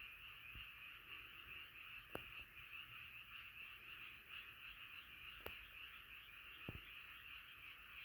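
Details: Frog chorus at night, massed steady croaking in a bright continuous band, interrupted by a few sharp clicks or taps.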